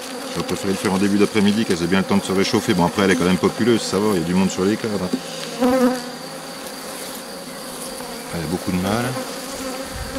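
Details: Bees swarming around a drone-laying hive under rescue, 3 May 2021, after nurse bees from a nearby, rather aggressive colony arrive on a brood frame: rapid choppy buzzing passes for five seconds, then a lower background hum with occasional swooping buzzes.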